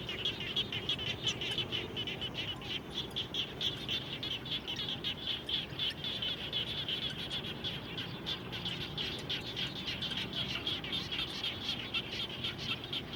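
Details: Frogs heard after rain close to a home, giving continuous rapid high chirps in an unbroken overlapping chorus, the pulses tightly packed and even, with a soft low murmur in the background.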